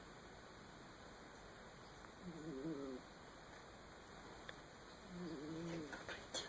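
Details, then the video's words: Sleeping domestic cat snoring: two faint, wavering, tonal snores with a humming, harmonic quality, each under a second long and about three seconds apart, over a steady low room hiss. "Кот храпит"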